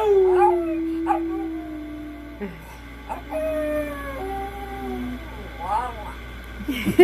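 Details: A miniature pinscher joins a person in howling. Several overlapping drawn-out howls waver and fall in pitch one after another, with short yips and a sharp squeal near the end.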